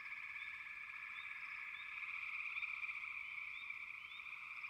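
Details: Steady chorus of frogs: rapid pulsed trilling layered into one continuous hum, punctuated by quick rising chirps roughly every half second.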